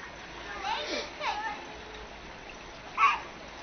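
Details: Seal pups at Lenie 't Hart's seal creche, being fed: two drawn-out, wailing tonal calls that rise and then slide downward, with soft water splashing behind them and a short splash near the end.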